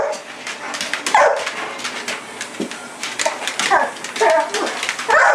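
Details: Pit bull named Sasha chasing a red light in the yard at night, giving sharp excited barks and yips in uneven bursts, mixed with whimpering and some human voice.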